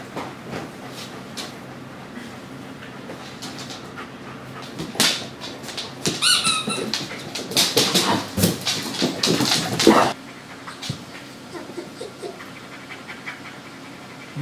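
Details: Gunner, a dog, playing indoors with the puppy Willow and a few other canine friends; high squeaky whimpers and scuffling bursts cluster in the middle stretch, with quieter rustling before and after.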